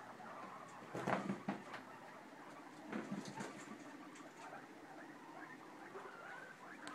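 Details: Guinea pig popcorning in a clean cage: bursts of sharp clicks and thumps from jumping, with brief low squeaky chirps and soft rustling between.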